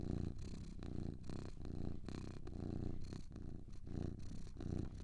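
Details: Purring from two cats, a deep continuous rumble broken into rhythmic breath phases about every half second, each inhale and exhale marked by a faint breathy hiss.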